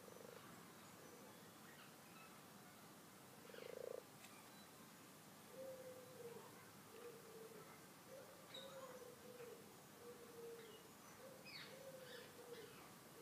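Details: Garden pond holding twelve frogs: after one loud, drawn-out croak come a string of steady, moderate-pitched croaking notes, each about a second long, with faint high bird chirps over a hissing background.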